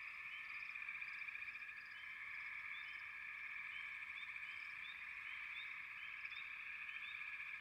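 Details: Frogs calling together in a dense chorus: a steady, shimmering high trill holds throughout, with short bright chirps popping out above it every second or so.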